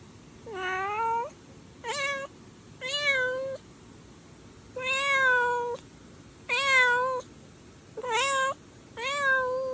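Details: Stray kitten meowing repeatedly, seven short harmonic-rich meows about one second apart, each slightly rising then level, steady faint background hiss.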